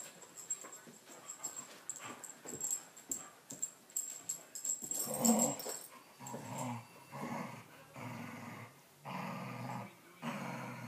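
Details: Two dogs in a playful fight, trading rough growls and wheezy snarls in irregular bursts, with louder broad growling phrases in the last five seconds; a faint high whine runs through the first half.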